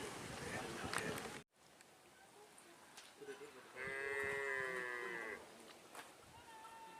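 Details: Cattle at a karapan sapi bull-racing practice in Asemanis, Pamekasan, before an event: one drawn-out, harmonic-rich moo lasting over a second midway, amid background voices, clatter and an abrupt cut near the start.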